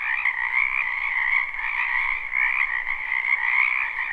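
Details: Dense chorus of frogs in a spring wetland, recorded live: overlapping trilled croaks merge into a continuous, gently wavering drone with nothing else audible.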